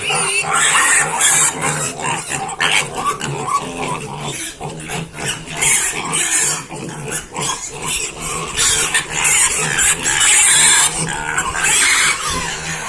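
Several pigs give loud, piercing squeals and grunting shrieks that overlap in rapid, uneven bursts. The noisy, high-pitched chorus carries on without a break from start to finish.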